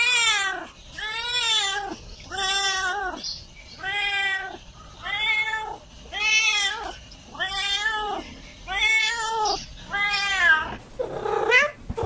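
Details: Cat giving repeated drawn-out meows roughly every second, each rich in harmonics with a rise and fall in pitch, ending in a rougher, noisier call.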